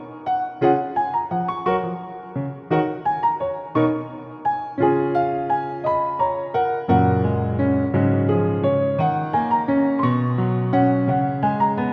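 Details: Gentle electric piano music playing steadily in repeated phrases; no animal sound is heard.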